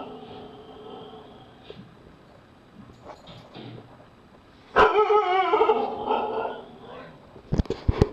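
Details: Taz, a Husky watching Paranormal Activity 2, breaks a quiet stretch with a sustained, loud, wavering bark-howl lasting over a second, followed by a few sharp knocks and clicks.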